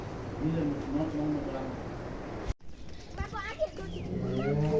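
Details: Dairy cow on a farm where two good milking cows are being sold because the milk could not be sold; low drawn-out moo with steady harmonic bands in the first half, then a break and human voices over a second low moo.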